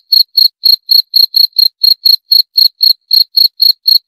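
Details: A single cricket (jangkrik) trills in short, piercing bursts at a quick, steady beat of about four chirps per second, on a quiet background.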